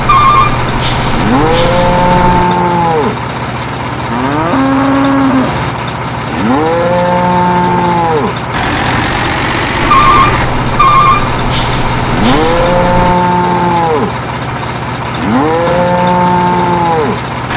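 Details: Sacrificial cattle being loaded onto trucks to move to another pen: repeated long harmonic moos, about six, some overlapping, with engine drone, air-brake hisses and short beeps.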